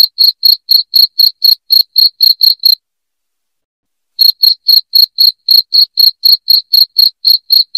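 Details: Loud cricket chirping meant to drive rats out of a home: sharp high pulses about four each second, stopping for roughly a second and a half midway before resuming at the same steady pace, no other sounds.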